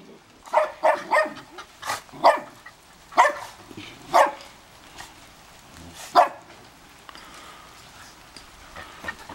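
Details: Dogs at a snowy house in Big Bear bark in reaction to the neighbours: a string of sharp, ringing barks during the first two-thirds, fading into quiet background afterward.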